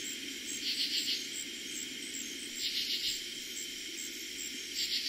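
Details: Katydids singing at night in eastern Pennsylvania on the first night they were heard in summer 2021: three short raspy pulsed bursts, each a few quick pulses, over a steady high trill of crickets.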